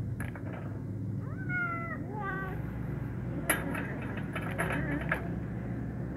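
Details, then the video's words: Hungry kitten meowing while feeding beside a black male cat, angry when he steps on it: a few short rising-falling mewing cries, then a louder harsh burst; steady low room hum throughout. "hungry kitten afraid to eat with male cat but tasty, angry when black male cat steps on"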